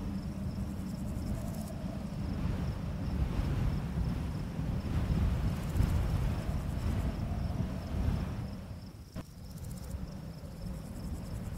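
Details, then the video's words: Crickets on a full-moon summer night in a barley field: steady pulsed high chirps with occasional quick buzzy trills, over gusty low wind in the grass, with a single sharp click near the end. "Crickets Chirping"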